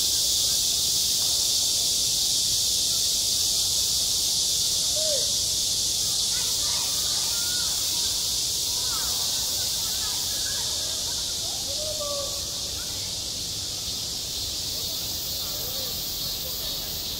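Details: On a school playground in high summer, massed cicadas keep up a loud, continuous, sizzling buzz. Brief faint chirps and voices appear in the middle, and the drone fades a little over time.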